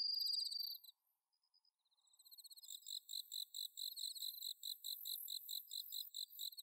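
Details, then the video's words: Japanese bell crickets on an autumn night at the Inba-numa rice fields, Chiba, recorded on a Zoom H6: a clear ringing trill, a second of near-silence, then a thick overlapping chorus of rapid high chirps. "秋の虫の鳴き声 スズムシ コオロギの鳴き声"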